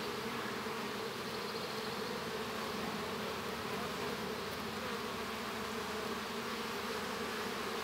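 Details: Constant buzzing drone of honey bees in their hive during the hatching of a baby bee, unchanging and thick, layered low tones running the whole time.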